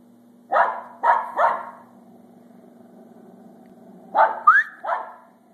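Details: A feisty female Pembroke Welsh Corgi gives sharp, excited barks in two quick volleys of three, one rising into a high yelp, over a low steady hum.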